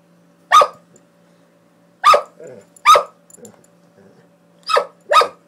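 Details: Doberman barking while play fighting: five sharp, loud barks, two early and widely spaced, then three in quicker succession near the end. A faint growl sits between them and a low steady hum runs beneath.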